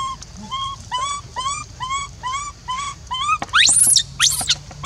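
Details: Monkey left alone, crying to call its companion back: a steady run of clear, slightly rising coo-like cries about every half second, then sharp, shrill screeching squeals at the end. Faint low hum underneath.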